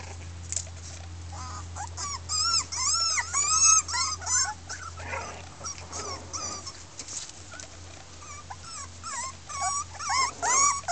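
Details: Miniature Pinscher puppies, a 2013 litter of six red girls from Keltic Kennels, voicing discontent: overlapping arched, squealing whines from several pups, rising and falling in quick irregular bursts over a steady low hum.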